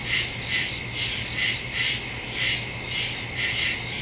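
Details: Woods at night with crickets calling, recorded September 2, 2023 using a Samsung Galaxy S22 Ultra and Shure MV88+ stereo microphone; high trilling chirps repeat in rhythmic bursts roughly every half second, a soft low drone beneath.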